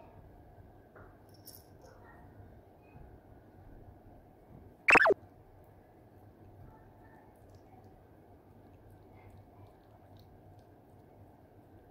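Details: Quiet indoor room tone with a low steady hum, broken once midway by a single sharp knock or click, with no voice or animal sound.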